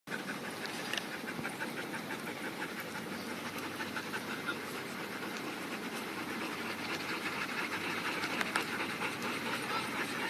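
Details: Several dogs at the off-leash Magnuson Dog Park panting at the end of the day after a good workout; quick breathy huffs repeat about twice a second in a steady rhythm over a continuous background hiss.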